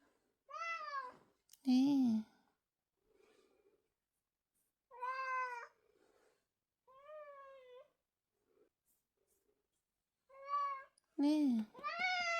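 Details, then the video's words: A house cat keeps crying like an alarm that cannot be turned off, giving about seven clear, tonal meows, some rising then falling, separated by quiet pauses of one to three seconds in a small indoor room. "우리집 냥람시계는 계속 울어 알람끄기 기능이 없어.."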